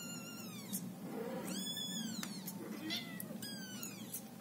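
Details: A female Scottish Fold cat caring for her kittens gives a string of drawn-out, falling meows with harmonic, wavering tones.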